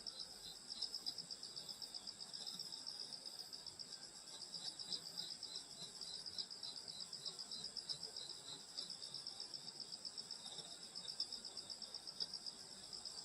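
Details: Grass insects singing on a summer night in the countryside: a dense, continuous high-pitched shrill chorus of many overlapping trilling bands, slightly pulsing, with no other clear sounds.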